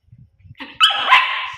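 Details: Pet puppy barking twice in quick succession, a short yip and then a longer, bright, harmonic bark that fades out, with faint low background rumbling.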